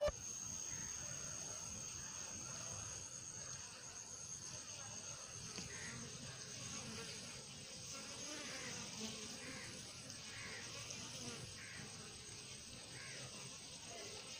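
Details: Honey bees fill the air with a steady, dense buzz from many wings at once during a home honey harvest.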